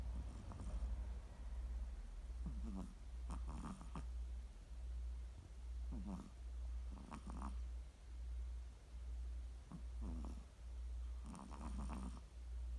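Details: Snoring Chihuahua producing a low, steady breathing rumble with repeated raspy, nasal snorts in pairs every couple of seconds, a rough, snuffling rhythm throughout.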